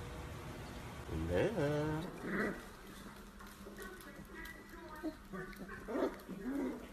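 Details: Corgi puppies: a rising, harmonic puppy whine swells and bends upward for about a second, followed by softer, scattered yelps and murmurs, with human voices and indoor household noise mixed in.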